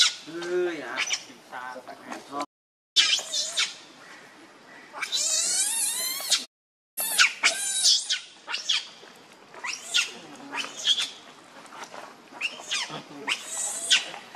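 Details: Angry monkey Rainbow defending Lucie from Kachoy: scattered shrill screams and squeaks, with one long, intense high scream burst midway, broken by brief silences between noisy passages.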